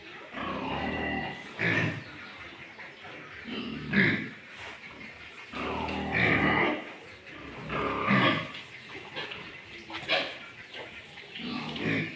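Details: Pure Landrace and Duroc breeding pigs kept for farmers give loud, harsh grunts and squeals in bursts roughly every two seconds, with human voices in the background.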